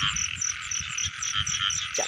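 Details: Frogs calling in the rainy season as people go out to catch them: steady train of sharp, repeated croaking pulses about four per second, a constant buzzy drone beneath, and a brief rising squeak near the end.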